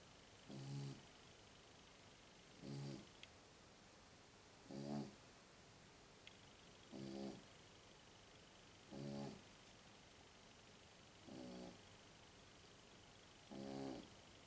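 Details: Sleeping Jug dog snoring: seven short, rasping snores come at an even pace, one about every two seconds, with near silence between them in a quiet room.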